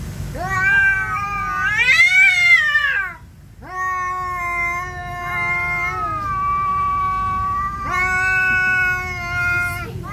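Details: Siamese cat enraged at an orange cat refusing to leave its territory; long, wavering, harmonic yowls that rise and bend, one drawn-out wail after another, broken by a short pause near the three-second mark.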